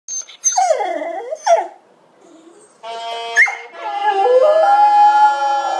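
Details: Australian Kelpie howling along to the Last Post. Short wavering, falling howls and yips come first, then steady bugle notes play while a rising howl joins in.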